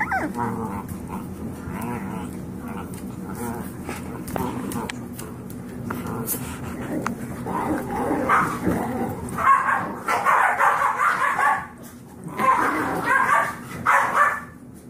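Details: Five-week-old Yorkshire Terrier foster puppies, Max, Molly, Melody and Magenta, at play together; short high yips and whimpering bursts grow busier and louder in the second half over a steady low indoor hum.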